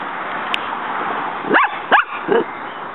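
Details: Muñeca, a female pet dog, in a backyard, barks while trying to fight a praying mantis that keeps fighting back. After a quiet stretch come three short, sharp yapping barks about 0.4 seconds apart, the last one lower and softer, over steady background hiss.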